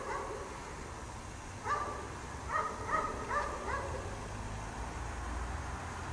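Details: Dog chained outdoors in the snow all day, barking repeatedly: a burst of about five hoarse barks in quick succession, around one every half second, then quiet with low rumbling background noise.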